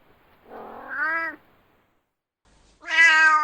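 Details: Angry domestic cat meowing loudly: two short calls, a rough, rising whine followed after a pause by a sharper, louder steady meow.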